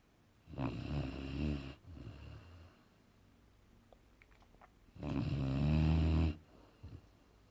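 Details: Boerboel named Aaron asleep indoors and snoring: two long, deep, rumbling snores about four seconds apart, the second louder, with quiet breathing between them in a small room.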